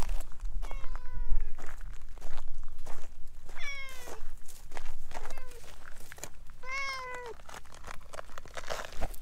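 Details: Chatty orange tabby stray cat rubbing against someone's legs outdoors at night: three clear drawn-out meows, each gliding downward, roughly three seconds apart, with scuffing footsteps and rustle in between.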